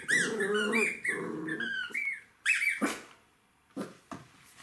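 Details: Jack Russell Terrier puppy at play with toys: a couple of seconds of throaty growling mixed with bright squeaks, then a pause and a few soft thumps and clicks.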